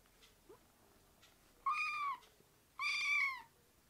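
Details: Young rescued kittens in foster care give two drawn-out, high meows about a second apart, strong and rich in overtones, the second longer and sliding downward at its close, in a quiet room.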